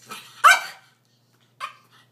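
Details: An excited female Pomeranian at Christmas, eager for her presents while they are being wrapped indoors, gives one loud sharp bark, then a shorter, softer bark about a second later, then silence.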